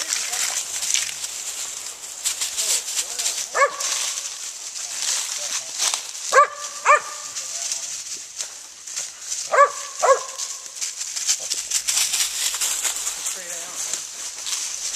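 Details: Gray's Mountain Feist named Daisy barking while hunting squirrels outdoors: clear barks, some in quick pairs, spaced a few seconds apart, over a constant high insect buzz and occasional rustling.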